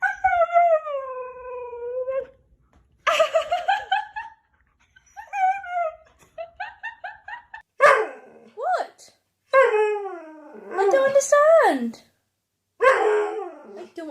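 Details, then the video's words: Pet dog indoors 'talking back' and arguing with its humans: long wavering howl-like whines, rising and falling, some sliding moans and short yips in several bursts with pauses, as a person speaks between them. "Funny Dogs Talking and Arguing With Their Humans"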